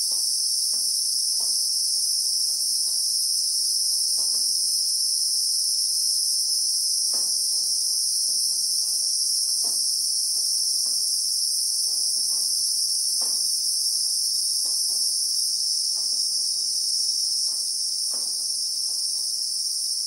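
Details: A real-time chorus of Christmas beetles, meaning cicadas, in South African acacia bushveld: an intense high-pitched whine held without a break for twenty seconds, with faint ticking sounds below, slightly softer near the end.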